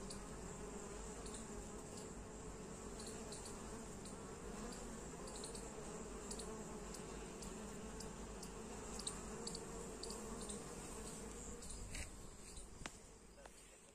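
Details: Western honey bees (Apis mellifera) carrying pollen loads make a steady, low droning buzz that rises and falls as individuals pass close.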